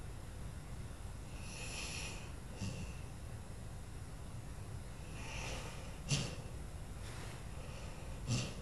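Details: Sleeping Lula, an old dog, breathes in gentle irregular snores at Christmas, with hissing exhales and two short sharp snorts near the end over constant low indoor rumble.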